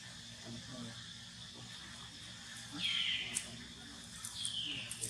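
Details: Baby monkey named Polino crying while hungry for milk; two brief high squeals, the first near the middle and a shorter one toward the end, over steady background hiss and low hum.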